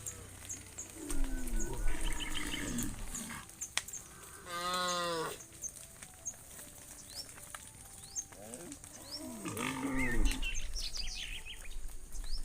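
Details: Tame cows in a herd heading home along the road to the barn, giving several moos: a low bending call, a loud strained bellow near five seconds, then further wavering moos, with chirping birds in the background.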